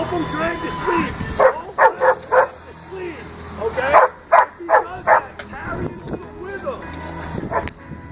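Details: Tiger, a 22-pound Pinscher puppy aged 12 weeks, during bite work agitation on the box while wearing a micro prong collar. Sharp barks come in two quick bursts of three to four, with a person talking throughout.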